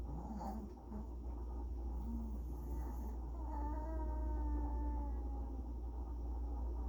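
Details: Pomeranian dog making strange sounds: a drawn-out, wavering whine with tonal harmonics that rises and holds for a few seconds after short low squeaks, over a steady low background hum.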